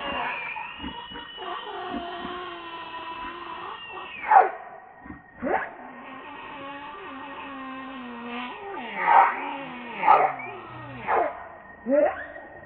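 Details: Baby monkey named RainBoww crying to its mother for milk: long sustained high wavering cries with stacked harmonics, rising and falling, some sliding down to lower moans, punctuated by short louder bursts near the end.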